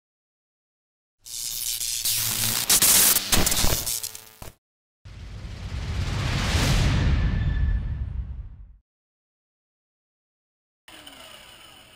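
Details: Bursts of crackling noise, then a long whooshing swell and a short faint rustle at the end, separated by silent gaps, with no animal voice.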